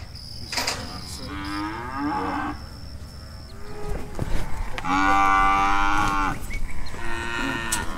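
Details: Brahma, Hereford and Brangus cows rounded up to sort calves and sell older ones give several overlapping moos: short wavering calls early on, then a long, loud, steady moo lasting over a second, followed by another, with clatter between.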